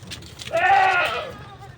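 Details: A goat bleats once while goats are herded to pasture on neighbouring farmland in the Philippines, a single wavering, nasal bleat with rich harmonics lasting about half a second, between a man's spoken words.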